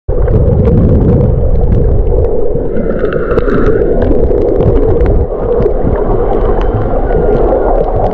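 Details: 2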